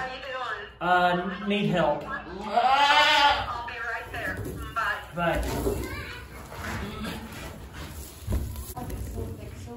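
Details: Goat in labour on a homestead, giving several strained, quavering bleats, one rising and falling over about a second, mixed with people talking nearby.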